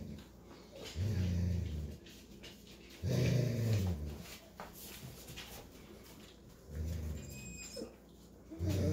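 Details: An adult male Golden Retriever babysitting puppies gives deep, rumbling growls in short bursts, with faint high squeaks between.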